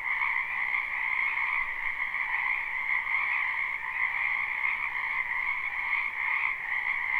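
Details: Live, unlooped night ambience of many frogs croaking in a spring wetland behind a house: a steady, dense chorus in two bands, gently pulsing, with brief small dips in loudness.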